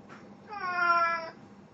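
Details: Pet cat Plan, dressed in a Snow White costume for an encore after a birthday party, recorded 1 April 2017, gives one clear, steady meow lasting under a second, rich in stacked harmonics, over a faint low hum.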